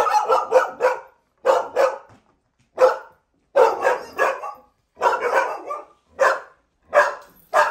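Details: Excessive barking from domestic dogs rough housing before being corrected by a trainer: sharp, harsh barks in quick bursts of two to four, repeated steadily with short pauses between groups.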